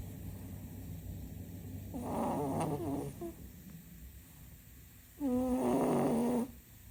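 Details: Sleeping cat snoring loudly: two long rasping snore breaths, the second steadier with a droning tonal buzz, separated by a quiet pause, indoors with no other sounds.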